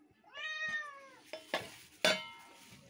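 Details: Kitten, one of two, gives a single drawn-out meow, followed by clattering knocks and a sharp bang like dishes.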